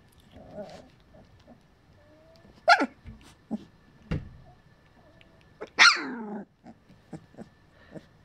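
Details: Collie puppies of a litter in their third week: scattered squeaky yelps and short whining cries, two louder rising squeals standing out, with soft rustling and a faint steady hum.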